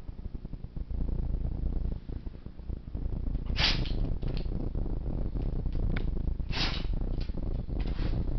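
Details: A black Labrador named Monty, seven years old, sneezing repeatedly: a quiet snuffling opening, then two forceful bursts about three seconds apart with smaller sniffs between, over constant low background rumble.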